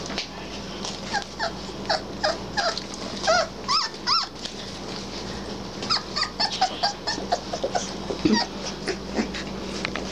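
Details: Three-week-old Basset Hound puppies playing and finding their voices, giving a run of short high yips and squeaky whimpers, some with rising-falling pitch, clustered between three and five seconds, over steady low hum and soft music.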